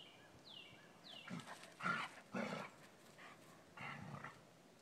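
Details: Dobermann puppy bothering the adult Dobermann Elke as she tries to rest in the sun: three or four hoarse, growly bursts about half a second apart, after two quick descending bird whistles at the start.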